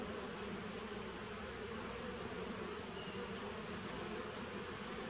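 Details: Steady hive buzz from a honey bee nuc dating from 2017, recorded 19 September 2018: a constant broadband hum with low banded tones and no pauses.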